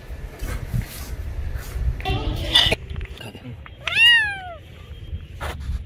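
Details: Domestic cat making noise during play; one loud, clear falling meow after muffled rustling and low background noise, with a brief faint squeak near the end.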